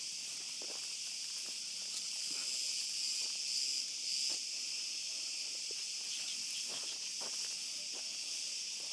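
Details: Night chorus of cicadas in an olive grove, steady and piercing high drone that swells slightly midway, with scattered footsteps of a walk with a dog below it.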